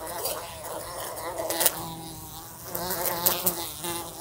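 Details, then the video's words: Fly buzzing indoors beside a room lamp and bumping into it: a droning, harmonic hum that swells and fades, broken by sharp clicks of the insect striking the lamp. "A Fly Buzzing Sounds"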